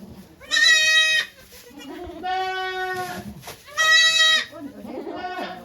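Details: Goat birth at Yoshigake goat farm on 3 May 2023: the doe Okayu delivers two kids while volunteers look on. Three drawn-out bleats, the outer two loud and bright, the middle one lower and steadier, over faint background chatter.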